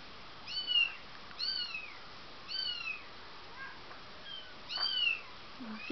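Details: Four-week-old Bengal kitten Rudie at her breeder's home in December 2007, giving five or six high, curved meows spaced roughly a second apart, bright and thin, with faint room noise between them.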